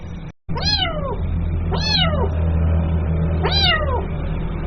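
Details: Kitten meowing to call its mother, three drawn-out harmonic meows with a rise and downward slide, roughly a second apart, over a constant low rumble after a brief cut at the start.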